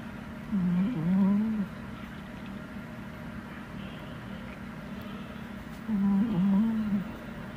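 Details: Indoor snoring from Hodu, a male Chihuahua, or Sugar, a male Pomeranian, both born 2021: two low, buzzy, wavering snores roughly five seconds apart, each about one second long, with quiet room hum between.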